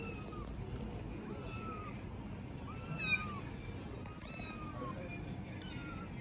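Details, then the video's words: Stray kittens living on the street in Istanbul mew repeatedly, thin high calls rising and falling one after another over a steady background hum of street noise. "Homeless kittens are no longer afraid of me"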